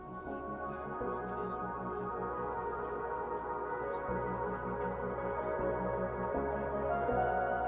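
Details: Soft ambient synthesizer music with pulsing low tones and sustained pads fills the recording, with no animal sounds.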